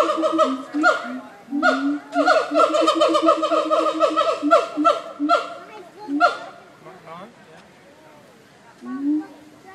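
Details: Nashville Zoo siamang apes produce a run of rapid, strongly harmonic barking notes that stops after about six seconds, followed by quieter voices and a last short hoot.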